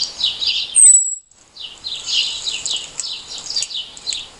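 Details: An insect, heard only by day, gives a single piercing, very high unmodulated note like a saw stroke, over a busy run of quick, rasping chirps, with a short quiet gap after the high note.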